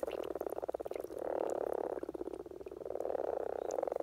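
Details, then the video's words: In Norwegian spring, common frogs call during courtship, giving fast-pulsed, grating purrs in two swelling waves over a constant low chorus of other frogs. "Common Frog Sounds - Rana Temporaria"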